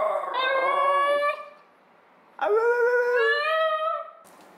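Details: Basenji Ginger, asked to sing, yodels indoors: two long, steady, harmonic howls, the first level and sustained, the second starting with a sharp upward slide then holding a bright tone, with a short gap between them.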